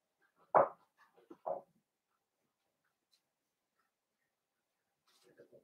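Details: Blenheim Cavalier King Charles Spaniel puppies, from a litter of five born at New Year, in an indoor puppy pen; two short, sharp yaps about a second apart, then quiet, with a few soft, low murmurs at the end.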